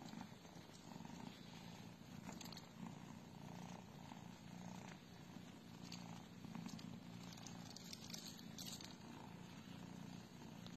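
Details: A British Shorthair at the Aristo Cats Cattery purrs loudly and evenly, a deep buzzing rumble pulsing with its breathing about every second, with small crackling noises overhead.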